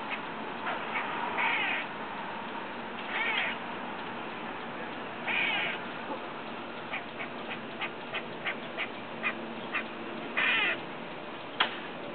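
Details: Squirrel heard from a window while eating next door, giving odd noises: brief rasping, harmonic squeaky bursts spaced a couple of seconds apart, separated by scattered soft clicks and taps against constant low hiss.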